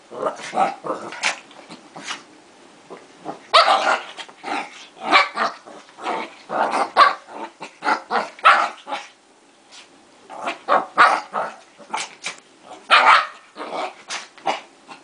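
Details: Two dogs in a fight trade harsh, clustered barks and growls in quick bursts, going briefly quieter before another loud flurry.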